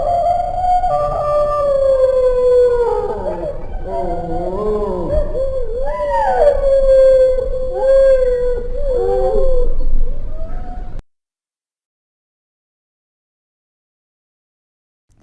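A dingo howls in long, wavering tones that rise and fall, with several voices overlapping.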